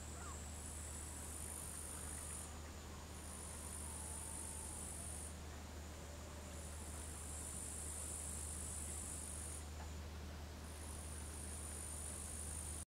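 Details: Tettigonia cantans bush cricket in the background at a Finnish lakeside in Savonlinna, 4 August 2013, mid-afternoon: a sustained high-pitched sizzling stridulation in long stretches with short gaps, accompanied by a constant deep hum.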